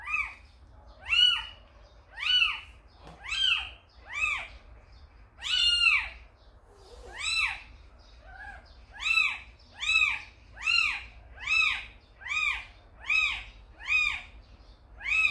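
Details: Kitten left at a house by its tricolor mother cat Samsaek calls insistently: shrill, bowed mews, each rising and dropping, about one per second, speeding slightly toward the end over a faint low hum.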